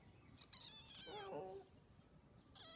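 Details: Three kitten sisters calling: a high, thin, quavering meow slides downward into a lower, rougher cry, followed by the start of another high mew after a short pause.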